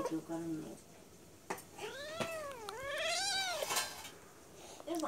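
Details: Two cats, described as brothers, fighting while lying on a person's lap; a long drawn-out yowl rises and falls in a wavering arc, with a woman speaking Bengali before and after and some clattering sounds.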